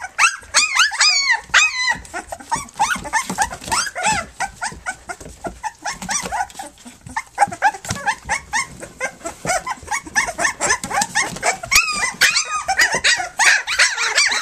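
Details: Dense, near-continuous chorus of squeaks, yips and whimpers from Flute's three-week-old pups as they nurse and play, several voices overlapping, with rapid irregular repetition throughout.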